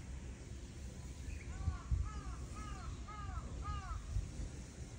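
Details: Island cat on Aoshima cat island, Japan, meowing as it approaches a bench, 30 April 2024: five short, arched, tonal mews about two per second, fairly faint over steady low wind rumble.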